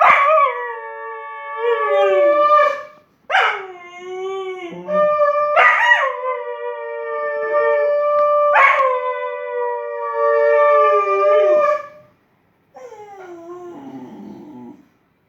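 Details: A Cocker Spaniel howls after a conch is blown, in long, drawn-out tones that waver and slide downward at the ends.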